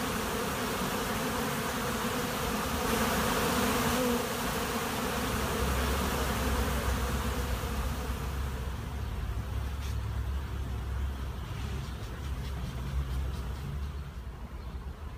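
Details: Honey bee swarm at a monastery apiary: a dense, steady droning hum from many bees, with a low rumble underneath that thins and quietens during the last several seconds.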